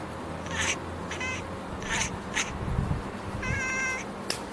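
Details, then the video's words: A tuxedo domestic cat, having spotted a bird, chirps at it with about six short, high chirps and chattering trills in quick, irregular bursts over a low background rumble. "Tuxedo cat calling birds - chirping sound"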